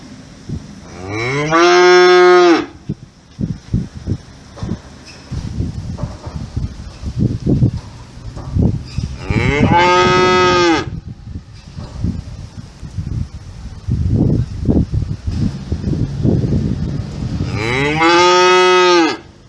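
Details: Cows lowing in three loud, drawn-out moos with rich harmonics, each swelling and then falling away, spaced several seconds apart, with low rustling and thumping noises between the calls.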